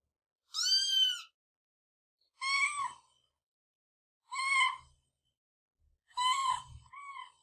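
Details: Kitten giving four high, thin mews roughly every two seconds, each a short harmonic cry, with faint low thumps beneath the last ones.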